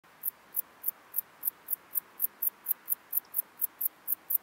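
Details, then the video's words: Bog meadow bush-cricket, Metrioptera brachyptera, recorded at Andechs, Germany, on 21 September 2018 with an ultrasound detector: short, high buzzy chirps repeated steadily about three times per second over a faint background hiss. "Metrioptera brachyptera -- Kurzflügelige Beißschrecke -- Bog Meadow Bush-cricket"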